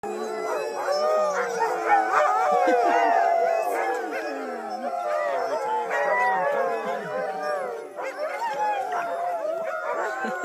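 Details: Many sled dogs howl together in a dense chorus of overlapping, wavering tones during a sled dog trip in Whistler, British Columbia, in 2013.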